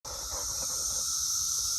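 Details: Brood X periodical cicadas, a large crowd on an apple tree on June 6, singing very loudly: a steady, unbroken high hissing drone with a fainter lower hum beneath, holding level throughout.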